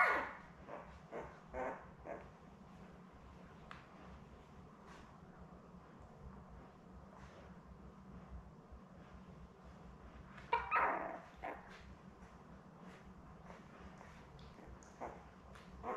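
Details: Newborn Labrador Retriever puppies, a litter of seven born May 24, 2021, with their mother Belle on a live puppy cam; short squeaky whimpers and yips come in scattered bursts, loudest near the start and midway, over a steady low hum.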